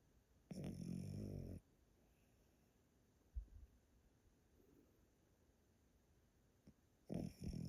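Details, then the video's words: Old Pomeranian Yotaro snoring loudly in his sleep at a relative's home in Japan: a long, deep, rattling snore of about a second, a quiet pause with soft breaths and a faint tap, then another gruff snore starting. "Pomeranian that snores loudly～おじいちゃんポメラニアン与太郎のぐぅぐぅ動画～"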